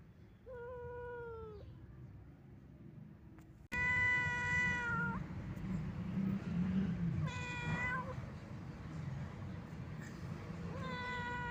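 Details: Old domestic cat, described as sad and wandering, calling in a series of meows: a short falling one, then a long level wail, a shorter cry and a final rising meow, spaced a few seconds apart against steady low background rumble.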